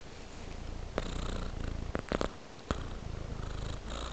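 A tabby cat purrs steadily, a low, even rumble pulsing rapidly throughout.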